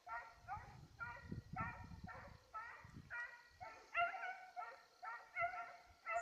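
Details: A Petit Basset Griffon Vendéen on a rabbit's trail, 5 October 2014, gives steady, musical bays repeated roughly twice a second, each a short ringing yelp, over low crunching and rustling noise.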